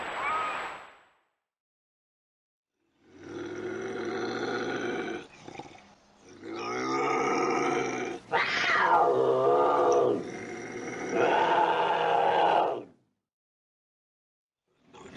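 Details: Bobcat growls meant to scare off raccoons: a deep, rasping, rumbling snarl lasting several seconds, broken by short pauses, swelling into a harsher rising-and-falling yowl before cutting off.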